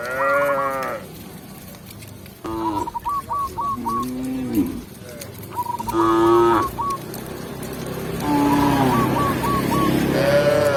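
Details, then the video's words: Tame village cows walked back into the pen by a shepherd, mooing in several rich, wavering calls lasting about a second, spaced through the recording, while small birds chirp in quick repeated bursts in the background. "Cow Sound, Funny Cow, Cow Moo"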